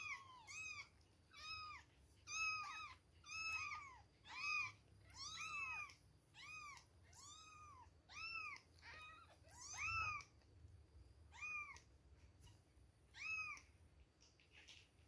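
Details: Two-week-old baby kittens at milk time give a steady run of high arched mews, about one per second, each rising and dropping in pitch, with a faint low hum behind them.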